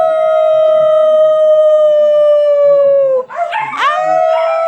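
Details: Red, a 12-week-old female puppy, singing: one long, steady, clear howl held for about three seconds and sliding slightly lower, then breaking into a few short wavering yips and cries.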